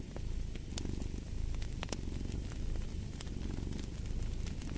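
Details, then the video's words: Low purring rumble of a cat in pulsing waves beside a crackling fireplace with sharp popping embers. "Fall asleep to the Purring of a Cat"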